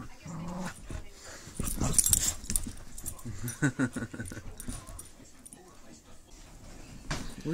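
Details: An adult female Pit Bull Terrier plays tug with a puppy in low light, letting the puppy win, giving deep, throaty growls in irregular rumbling bursts while Spanish-speaking voices run through the background.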